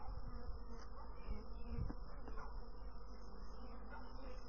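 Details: Bees droning in a steady, thick low hum that barely varies in loudness, with a short stronger burst just before the two-second mark.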